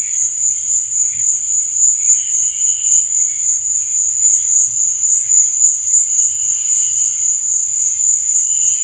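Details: Crickets chirping at night: a steady, high, shimmering trill that pulses rapidly without pause, with faint softer chirps beneath it and a low murmur in the background.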